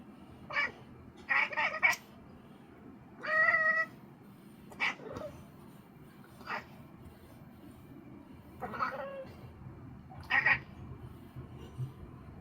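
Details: Pet house cat chattering at home, sounding as if talking: short, scattered chirping and clicking bursts, some with a clear tonal note, separated by pauses of one to two seconds over a low indoor hum.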